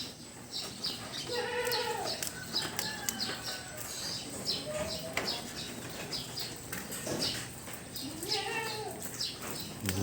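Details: Large, high-class goats said to weigh around 70 to 80 kilos give several wavering, arched bleats spaced a few seconds apart, with a person talking and scattered knocks and rustles in the background.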